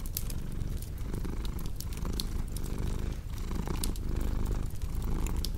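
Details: Domestic cat purring in a steady low rumble that swells and eases with each breath, while sharp pops and crackles from a cozy fireplace flicker over the top.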